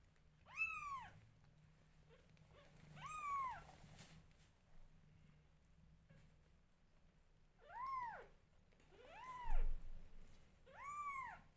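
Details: Newborn kittens cry loudly as their mother grooms them, giving five clear arched meows spaced roughly two to three seconds apart, each rising and dropping in pitch, over a low steady room hum.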